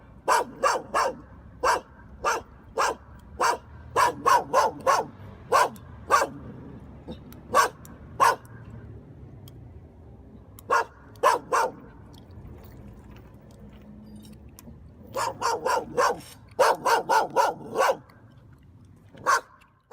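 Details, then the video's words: A puppy gnaws on a dog chew, making bright, snappy crunches in fast clusters. Some stretches are quiet and others busy, over a soft background hum. "개껌 씹는 강아지 Puppy Chewing The Gum"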